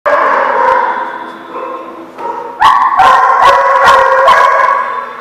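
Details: Dog at The Barking Lot, recorded 6/11/18: a long, loud, steady whining tone with rich harmonics, dipping briefly, then a burst of sharp, rapid barks about three times a second over the sustained whine.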